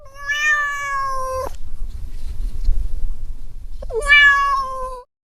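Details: Domestic cat giving two clear meows about three seconds apart, each a bright harmonic cry that rises briefly then holds level, with a low rumbling background between them.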